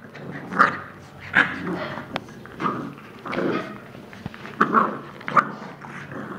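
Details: Two-month-old female Shar Pei puppy playing with another dog: short, rough yelps and growling bursts about once a second, mixed with light scuffling noises.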